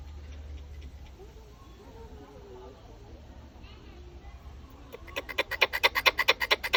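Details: Wild squirrel visiting a house: low background murmur and faint voices, then a rapid, even series of loud, scratchy, harsh chuck notes, about four a second; squirrel.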